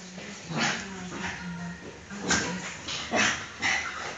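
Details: Maxi, a pet dog, just after a bath, giving a series of short yelping, whining yips in bursts roughly every half second to second, with faint talking underneath.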